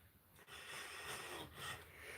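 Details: A large captive West African Gaboon viper, deliberately provoked by its handler, gives a long, deep, breathy warning hiss that swells and fades in heavy exhalations; the species rarely strikes unless stepped on or provoked.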